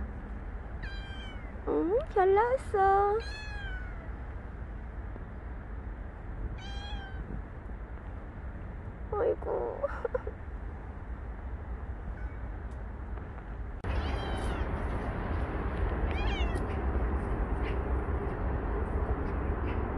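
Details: Stray cat named Bolt, outdoors in its final recorded days after a year and five months near its carers, giving several harmonic meows with rising-falling pitch, clustered early then sparser, over low steady background rumble and a woman's speech.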